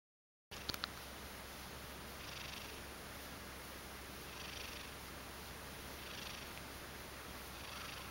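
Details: Two-year-old domestic Ragdoll cat purring: a soft, steady low rumble that runs unbroken through the recording under a faint even hiss, with a couple of small clicks near the start.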